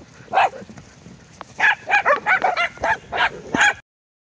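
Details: Abruzzese Mastiff awaiting adoption, recorded 20 October 2020 in the morning: a quick run of about eight loud, rough barks and yips, clustered tightly together before cutting to silence.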